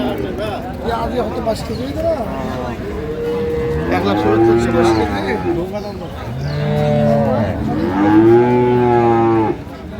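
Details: Market cattle at Ambari Haat, Dinajpur, on 9/3/25, improved-breed dairy cows with calves: two strong, deep moos, each lasting about two seconds, separated by a pause, with bargaining voices and crowd murmur around them.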